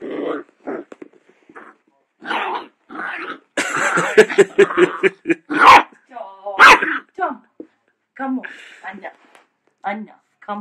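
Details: A male dachshund puppy gives short, high, yappy barks in uneven bursts at his own reflection, with people talking and laughing in between.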